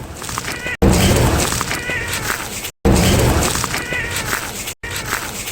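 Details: Stray cat meowing several times, short harmonic mews rising above loud, steady broadband noise, with the recording abruptly cut off at intervals.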